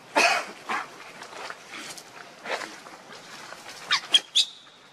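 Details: Monkeys, with the mother Luna carrying her baby Luno while running very fast and Rainbow trying to take Luno away: short, sharp, high squeaks in bursts, ending in a thin whistled squeal, over rustling background noise.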